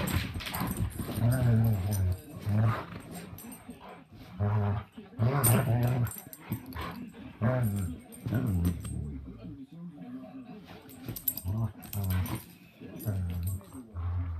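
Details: Juliette and Nogal, two dogs at play, making deep rumbling growls in short bursts roughly every second or two, with brief higher yips and scuffling between them.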